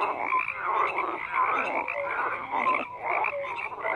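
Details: Croaking frogs call in a continuous, thick chorus. Raspy overlapping calls pulse in waves under brief bright whistled peeps. No other clear sounds.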